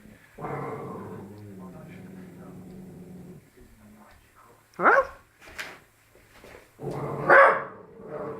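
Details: A Labrador puppy barks at its own reflection, giving a low, drawn-out growl, then bursting into sharp, high-pitched barks.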